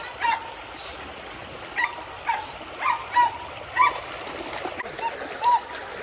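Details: Border Collies Junior and Zeru play in the water alongside a Springer Spaniel and a poodle. Short excited barks come every second or so over splashing water and faint human voices.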